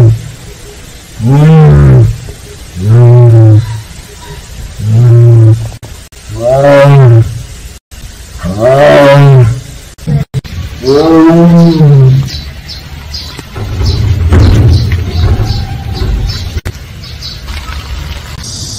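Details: Siberian tiger, one of the Penza family living at Seoul Grand Park in Korea, voicing a run of six or seven deep arched "aung" moans at about one-second spacing, then low rumbling and background noise.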